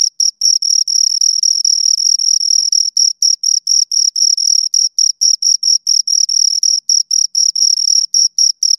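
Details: Continuous cricket chirping from two insects, high and piercing, the chirps sometimes merging into longer trills then breaking into separate pulses about twice a second; quiet background.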